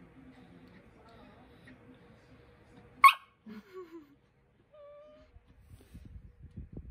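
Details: Cookie, a pet poodle puppy seeking attention indoors: a sharp tap, then a brief falling whimper and a short, thin, high whine, ending in soft low rustling.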